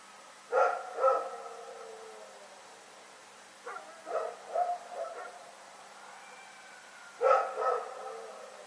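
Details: February 27, 2018 recording of Rex barking in the night: a loud double bark, a run of four quicker barks, then another loud pair.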